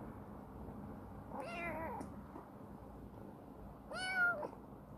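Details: Chibikuro, a rescued former stray black female cat now grown affectionate and living in a warehouse, gives two drawn-out harmonic meows about two seconds apart, the second louder and bending upward, over a low indoor hum.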